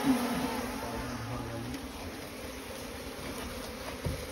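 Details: Small Asian honey bees (Apis cerana) nesting in a straw pile give a low, even hum that is strongest in the first half-second, then continues more faintly under broadband rustling noise.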